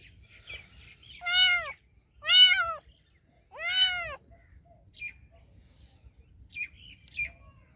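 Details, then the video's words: House cat meowing three times in quick succession, strong arched calls about a second apart, followed by faint chirpy squeaks. "Cats Sounds Love To Hear The Most Meowing Cats Cat Meow"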